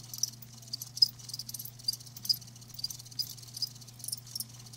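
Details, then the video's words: Live crickets giving sparse, high-pitched chirps at irregular intervals, some pulses louder than others, over a steady low electrical hum. "Live Crickets 60min "Natural Sound""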